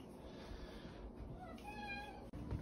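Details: Talking domestic cat known as the OK Cat, famous since May 2021, answers with one clear tonal meow that rises and holds, shaped like the word "okay", after a quiz question in a quiet room.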